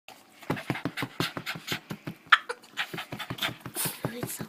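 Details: Male Boston Terrier indoors, making odd noises while wanting to play with a ball: quick rhythmic puffing snorts and grunts, several per second, with one sharp squeaky note midway.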